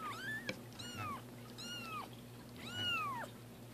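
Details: Pet cats Roger Taylor and Simon LeBon having their first bath give four drawn-out meows, the first climbing upward, the later ones arching and sliding down, with a faint knock and a low background hum.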